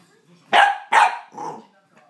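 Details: Corgi puppy playing by itself, giving two loud sharp high barks about half a second apart, then a softer shorter bark; quiet room otherwise.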